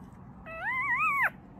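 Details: A day-old male Yorkshire Terrier puppy gives a thin, wavering whine that rises then dips sharply at the end.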